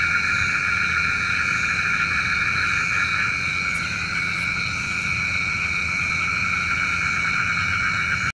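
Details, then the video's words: Night frog chorus, locally said to call the rain: continuous layered buzzing tones holding steady throughout, with a few faint high ticks near the middle. "SUARA KODOK KATAK | Panggil Hujan"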